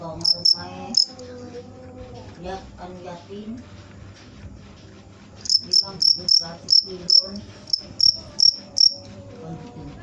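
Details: A cricket gives a few high chirps, falls silent for several seconds while low muffled sounds continue, then resumes a regular run of sharp chirps about two per second.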